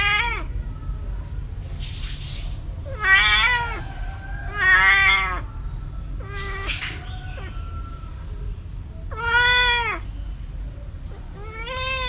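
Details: Compilation of cats and kittens meowing: several short, varied meows, some bending downward, others wavering, spaced irregularly over twelve seconds above a steady low background hum and a few brief hissy bursts.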